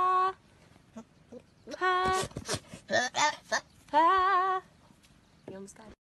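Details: Baby goat "talking": a series of high, harmonic bleats, some short and some drawn out with a wavering, quavering tone. Brief noisy bursts fall between the calls, indoors.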